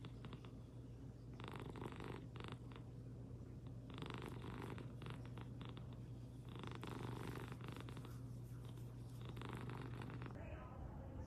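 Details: American Shorthair cat kept as a pet, purring steadily in a low continuous rumble, with brief rustling bursts through the recording.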